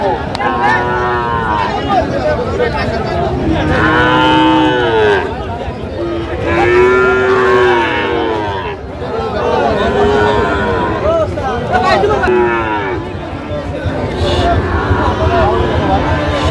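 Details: Sahiwal cattle at Raniganj livestock market, Bangladesh, on 28 July 2025, a Monday market day, as a young bull is sold. Repeated arching moos rise and fall every couple of seconds over steady crowd chatter and market noise.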